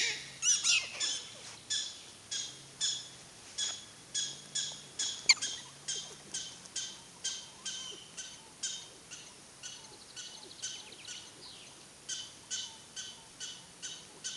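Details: Prairie dogs at Wildpark Frankfurt/Oder in a long, rapid series of high barking chirps, repeated roughly twice per second with steady rhythm, slightly hoarse and fading somewhat later on, with a faint low hum beneath.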